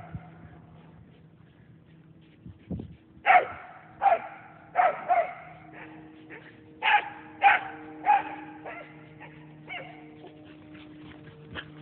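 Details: Two pet whippets playing tag and tearing around a yard: a run of short, sharp barks in spaced bursts, some doubled, with a steady low hum underneath.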